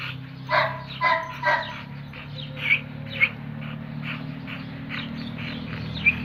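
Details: Red nose pit bulls Oscar and chocolate-coloured Müdür brought together for mating. Three sharp, loud barks in quick succession, then several fainter short barks and yips spaced irregularly, over a steady low hum.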